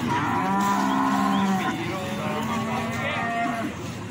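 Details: Cattle lowing at the Plaosan cattle market in Magetan, Indonesia, where feeder cattle are traded: a long, steady low moo followed by shorter overlapping moos from other animals, with a busy market murmur behind.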